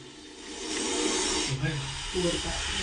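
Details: Aggressive cobra cornered in a bathroom, hood raised and lunging, hisses in warning at a moving hand. It makes a rough, breathy rush of noise that swells after a brief quiet start, with faint voices underneath.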